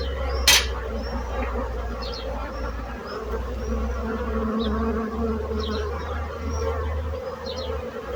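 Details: Bee buzzing forms a mid-pitched drone over a deep constant hum, with one sharp click near the start and scattered high bird chirps throughout.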